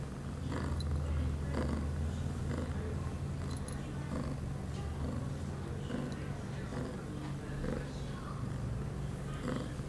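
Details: Eight-month-old female cat Pia, in heat, filmed on 23 September 2011 shortly after her first birth control pill; a deep, pulsing purr throbs continuously while soft rustles and faint clicks are heard around it.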